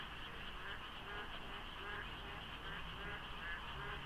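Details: Rainy-season dawn at Deokso IC highway, foggy and quiet of traffic: overlapping frog croaks repeat about once a second, low and mid-pitched, over a continuous high hum and faint road noise.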